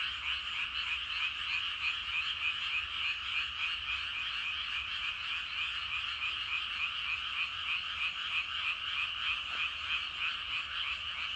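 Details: Many frogs calling together in rice paddies in the evening, a dense, continuous croaking chorus of rapid pulsed notes, about three per second, overlapping into a steady trilling wall of sound with no other clear noises.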